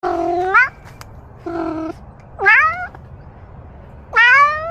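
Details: Domestic cat meowing four times about a second apart: three rising, drawn-out, upswept cries and one shorter, flatter, nasal mew, over a faint steady low hum.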